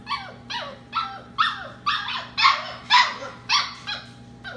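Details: A puppy, one of 15 settling for the night in a kitchen, cries in insistent high yelping whines, each dropping in pitch, repeated about twice a second. Steady low hum from running dishwasher and washing machine.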